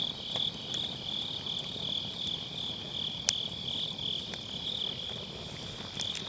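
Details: Autumn-night grass insects keep up a continuous high, finely pulsed ringing while a campfire in a round fire pit pops and crackles now and then; recorded with a Sennheiser MKE600 using low cut.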